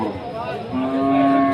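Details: Cattle, bull calves raised for meat, at the Rustampur livestock market in Rajshahi, Bangladesh, before Qurbani: a long, low, steady moo swelling in loudness over a second, with a murmur of market voices underneath.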